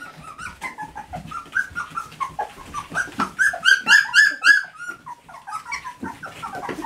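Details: Standard Poodle puppies, three weeks old, indoors around breakfast time on a rainy, snowy morning, learning to climb in and out of the whelping box; rapid overlapping high squeaky whines and yelps, several pups calling at once, rising and falling.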